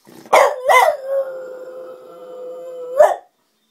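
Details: French Bulldog howling like a wolf: two short yelping barks open into a single long, steady, level howl held about two seconds, closing with a sharp bark-like burst, with quiet all around.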